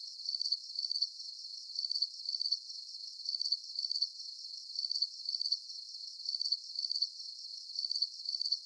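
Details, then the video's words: On a full-moon night, crickets repeat piercing, high-pitched pulsed chirps, paired bursts recurring at an even, rapid pace. A faint constant high shimmer fills the gaps between them. "Звуки природы Ночь Сверчки"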